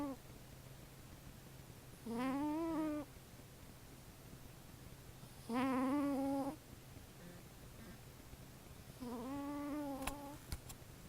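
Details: Sleeping female pet cat Rory Beanie, who has nasal issues, snoring indoors: three tonal, whistly nasal snores, each about a second long with a slight wavering rise, spaced roughly three and a half seconds apart over a steady low hum.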